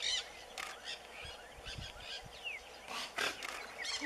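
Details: Giant otter family gathered together in the Pantanal, seen during a farm outing. Short, harsh, broadband bursts of sound come at the start, near 0.6 seconds and again around 3 seconds, with faint chirping in the background.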